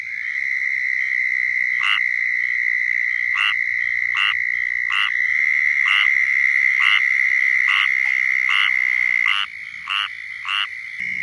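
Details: In Florida a squirrel tree frog gives its mating call, a series of brief raspy quacking notes about four per second, over a constant shrill insect trill; the calls stop near the end.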